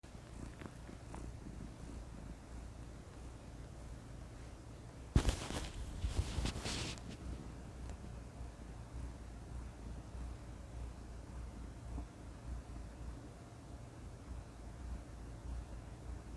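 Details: Domestic cat purring, a steady low rumbling purr throughout, with a short burst of rustling or handling noise in the middle.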